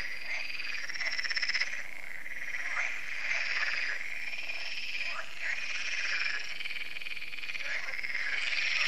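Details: Annual frog concert on the Lac de Sabatte in France after dark: a thick, continuous chorus of rattling, buzzing trills from many frogs, with individual harsh croaks popping out irregularly across the whole stretch.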